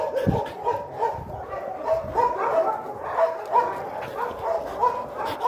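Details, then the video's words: Dog at an animal shelter in Kyiv Oblast, Ukraine, inviting another dog to play, giving a run of quick, irregular yips and soft whiny barks, roughly three per second, with a faint low thump near the start. "Федя зовёт играть"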